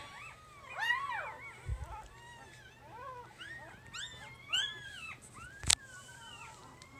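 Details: A three-day-old female puppy from Jig's litter gives soft, scattered, arching whimpers and squeaks over a low hum, with one sharp click near the end.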